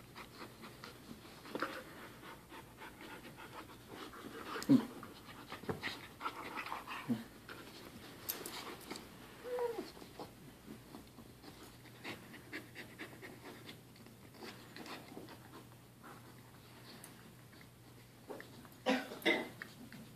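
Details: Dog panting indoors, two dogs named Hammond and Whaley described as best friends; quick rhythmic breathy pants through most of the stretch, with a few louder huffs and soft whimpering noises, faint speech in the background.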